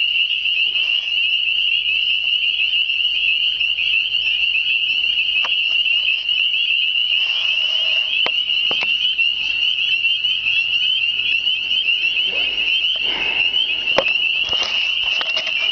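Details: Countless hidden spring peepers calling in spring, too many to spot near motionless water: a continuous shrill, high-pitched wall of peeps with a few faint clicks and rustles from someone moving closer.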